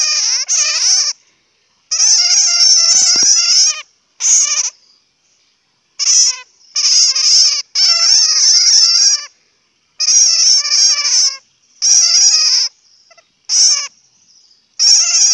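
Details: Squabbling bat calls (Hmong: suab puav quaj), harsh wavering shrieks in bursts of one to two seconds, separated by silent gaps, with several brief chirps between the longer outbursts.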